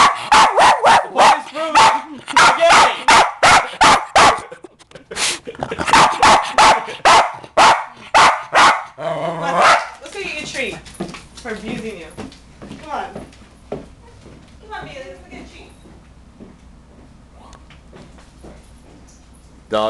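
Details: West Highland White Terrier, a pet dog at home, barking excitedly at the radio song "Pony": fast, sharp, repeated barks for about nine seconds, then softer yips and whines fading out as the owner talks.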